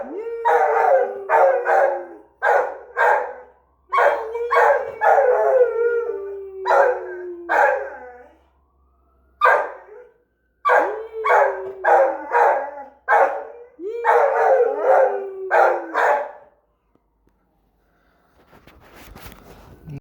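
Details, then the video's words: Australian Shepherd howling and yelping as a fire truck with the Easter Bunny passes, rapid broken howls in bursts, then quiet with faint rustling noise at the end. "Sweet Lou howling at the Easter Bunny going by in the fire truck."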